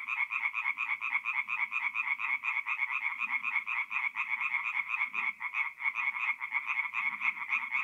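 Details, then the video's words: Singing tree frogs at a forest pond by night in mid-April, North-East Italy: a dense chorus of rapid, pulsed, rattling croaks, many callers overlapping in a continuous high-pitched drone, with faint low murmurs beneath. "relaxing forest pond by night with singing tree frogs"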